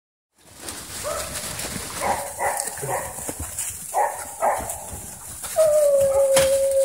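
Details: Dogs running in a private dog park, giving short, rough barks in loose bursts over a noisy outdoor background, with a long steady whistle-like tone near the end.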